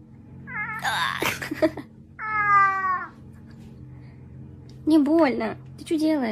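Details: A house cat making a series of short meows and chirping mews, separated by brief quiet gaps, with faint room noise and possible human voice in between.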